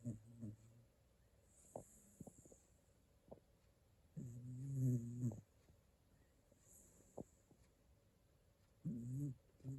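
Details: Shiba Inu asleep, snoring softly in a quiet ASMR recording: low, rasping snores swell around four to five seconds and again near nine seconds, with faint clicks and a steady soft hiss between breaths.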